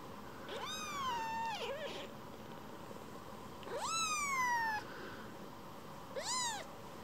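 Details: Rescued baby kitten, a boomerang kitten that wanders off from its carer then returns to be stroked, meowing three times: long high mews, first two sliding downward, last a short rising-falling cry, quiet room between.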